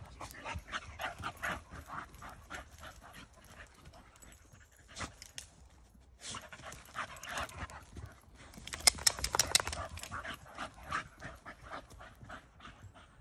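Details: A Staffordshire Bull Terrier on a walk in the woods pants and snuffles in quick, rough, slightly irregular bursts, about two a second, with crunching, rustling steps and a brief spoken word.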